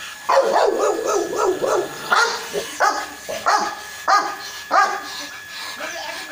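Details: Barking dog, from a recording of a Rottweiler and a French Mastiff. It opens with a fast, rough, rumbling burst of yaps, then gives single sharp barks roughly every half to three-quarters of a second against a quiet backdrop.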